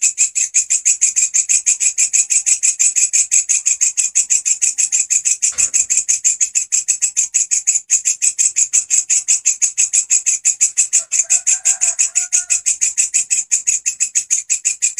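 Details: Grasshopper stridulating steadily at high volume as a training master for song birds. A relentless run of crisp, high, scratchy pulses, several per second, is broken once by a short knock. A faint, low twittering surfaces near the end.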